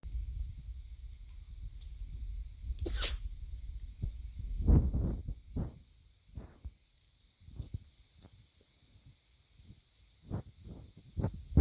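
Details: A dog coughing: a cluster of short, harsh, low bursts around the middle, then scattered single coughs and huffs separated by brief silences, ending with a louder burst.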